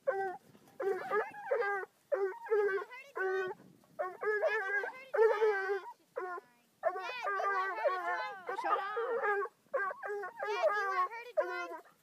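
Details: Young Bluetick Coonhound, five months old, confronting a raccoon: dense bursts of high, strained yelps and bawls, some drawn into short wavering howls, almost continuous across the recording.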